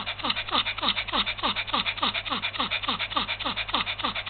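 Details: Yorkshire Terrier, a small dog suffering heat stroke in February 2015, panting fast and hard indoors: rhythmic breaths at about three and a half per second, each a breathy rasp, steady and unbroken throughout.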